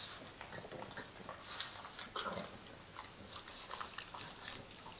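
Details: Two pet pugs wash each other in the morning. Busy, quiet smacking and nibbling noises run on continuously, with faint snuffles between the wet clicks.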